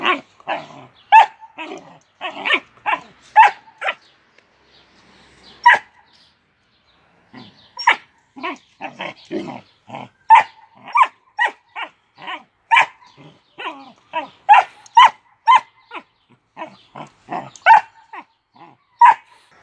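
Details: Doberman puppy siblings fighting, trading sharp, high yaps and squeaky barks in quick bursts.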